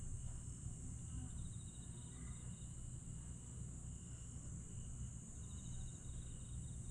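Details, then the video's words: Night chorus of grass insects at Aewol on Jeju Island, July 22, 2022. A continuous high-pitched ringing drone carries intermittent rapid pulsing trills, and heavy low-frequency rumble runs underneath. "풀벌레 소리"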